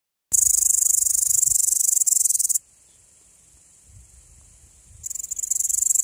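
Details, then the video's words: Male Tettigonia cantans stridulating, a dense, high-pitched buzzing trill. One loud burst lasts about two seconds, then comes a near-silent pause of over two seconds, then the buzzing resumes strongly. No other sounds are clear. "Tettigonia cantans (Zwitscherschrecke) - Male"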